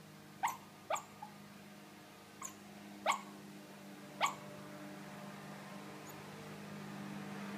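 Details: Silky Terrier puppy dreaming, letting out short high squeaky yips and whimpers, about six brief sliding cries spread irregularly over several seconds, indoors with a steady low hum behind.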